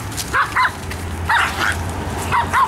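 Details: Pekingese dogs, pet and show quality, raised in a home in Akron, Ohio: short sharp yips in three quick pairs across about three seconds, with a low hum beneath and people nearby.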